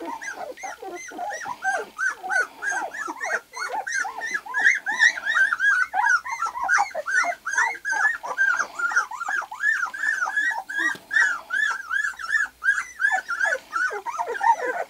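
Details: Lily and Axil's white golden retriever puppies at two weeks, now seeing, hearing and crawling, whimper nonstop: many short bowed squeals tumble over each other, roughly three per second, fluctuating in loudness.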